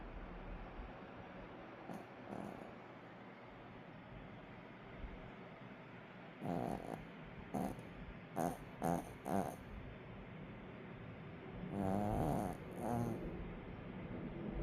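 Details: Daytime nap of Allok the puppy, with quiet background hum broken by a run of short sharp snorting breaths, then a longer wavering snore with nasal harmonics and a few more snuffles.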